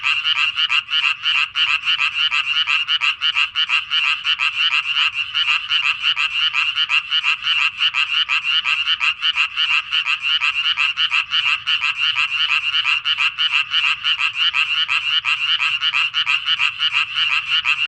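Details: Continuous calling of a tree frog at its breeding pond, revisited again this year; grating, buzzy pulses roll on steadily near three per second for the whole stretch.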